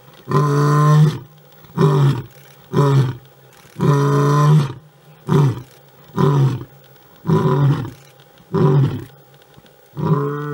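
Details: Big male lion roaring: a run of about nine deep, heavy grunting roars, the first ones long and the later ones shorter, coming roughly once every second.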